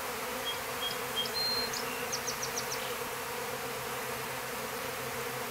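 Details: Honey bees out of the hive after a cold winter in Stillwater, Minnesota, near wild mustard; continuous low droning hum throughout, with a bird's short high whistled chirps and a rapid series of notes early on.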